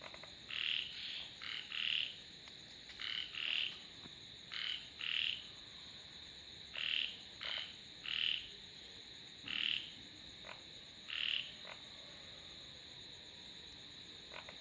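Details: Frog croaks given as short nasal notes, often doubled, scattered at irregular intervals of one to two seconds, over a constant high-pitched background hum.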